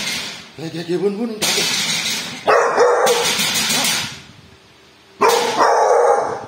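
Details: A household dog named Bull barking at a thief: a person talks first, then come long, rough, noisy barks in quick succession, a pause, and another burst of barking.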